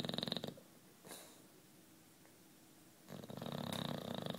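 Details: Juanito, a 9-year-old British Bulldog, asleep and snoring: a buzzy rattling breath fades out, a quiet gap of over two seconds follows, then another vibrating snore builds.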